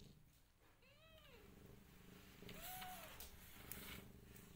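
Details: Rescued cat family, a mother cat with her five kittens: two clear, high, arching meows about two seconds apart, each rising then falling, over a low steady indoor hum.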